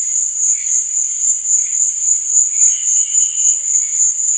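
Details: Night crickets keep up a piercing high trill, rising and falling in regular pulses roughly four times a second, with soft lower chirps in the background.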